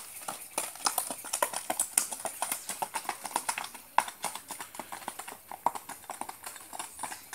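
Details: Mangalarga Marchador horse Branquinho gaiting: crisp, regular hoof strikes in a quick rhythmic clatter, roughly four per second, loud and close, with no calls or other animals audible.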